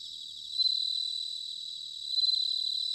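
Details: Autumn song of a bell cricket recorded in Sanuki, Chiba, Japan: a steady high-pitched ringing tone, swelling into two louder pulsed phrases about one and a half seconds apart.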